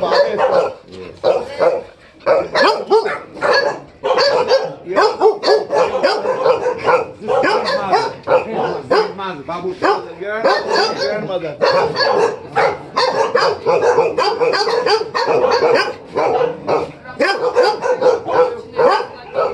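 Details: Tibetan Mastiff barking insistently for a long run, many short, sharp barks in quick succession with occasional brief lulls, human voices faintly present between barks.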